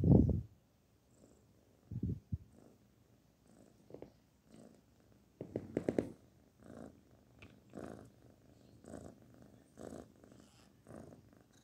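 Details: Kitten named Barfi purring while being petted, a low rumbling vibration with soft rhythmic swells, broken by a few loud handling thumps and rustles near the start and middle.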